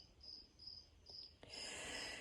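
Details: Crickets in a greenhouse give high, thin chirps in short bursts, repeating roughly twice a second.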